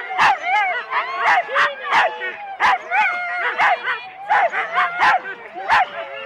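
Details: Four-dog Husky sled teams at the complete start, Rendlesham, January 2016, on analogue cassette tape: loud clipped barks and yelps in a fast uneven series, several dogs calling over one another with drawn-out whines between.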